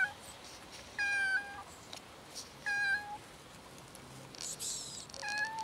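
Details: Hungry street cats gathering for food, among them a new little kitten, give clear drawn-out meows about every two seconds, each with a steady tone bending slightly downward, over soft rustling background noise.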